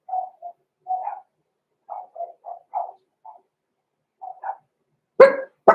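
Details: Blenheim Cavalier King Charles Spaniel puppies Roman and Blue, six weeks old, indoors in a home puppy pen. Soft, nasal yips are repeated about twice a second in scattered bursts, ending with two sudden, louder, harsher barks.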